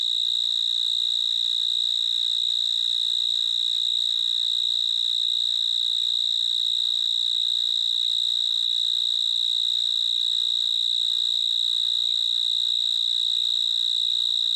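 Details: A cricket's chirping forms a long, steady, shrill trill at a fixed high pitch. It is very even in loudness for the whole stretch, with faint low background noise and no other callers.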